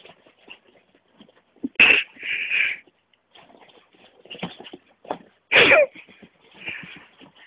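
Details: Vixen, a micro Miniature Pinscher, playing with a hand: two sharp, explosive yaps near two and five and a half seconds, each followed by raspy, breathy growling bursts, with softer snuffling and panting between and brief human voice.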